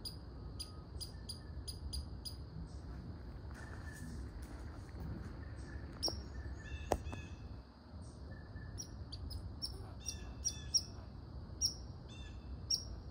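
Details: Sharp, high barking of a red squirrel, irregular single and double chucks, with a few softer chirping notes in the middle and low background rumble.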